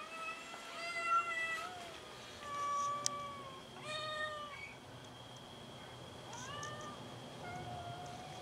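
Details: Hungry domestic cats squabbling over food give repeated drawn-out meows, some rising and some falling, spaced a second or two apart, with a sharp click near the middle and a steady high tone behind.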